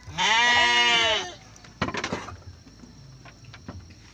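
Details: Garut sheep ewe giving birth to triplets: one loud, harmonic, wavering bleat lasting about a second, followed by a few knocks and rustles in a quiet pen.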